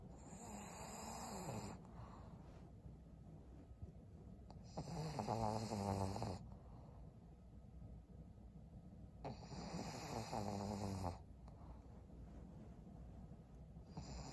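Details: Twelve-year-old fawn pug Maria, an elderly female in Japan, snores through a December nap: three drawn-out vibrating snorts about four to five seconds apart, with a hoarse low hum and wheezy flutter between them.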